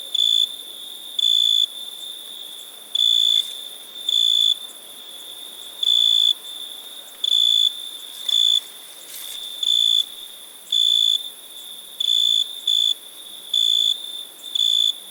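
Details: Cricket calling with around fifteen sharp, high, flat-pitched chirps, sometimes in quick pairs, sometimes spaced over a second apart, against a faint constant shrill drone and a couple of soft clicks.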